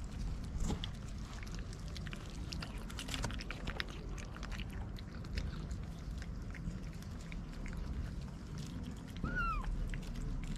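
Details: White mother cat with four little kittens, street cats. One short meow, rising then falling, near the end; soft rustling, chewing-like clicks and steady low background rumble fill the rest.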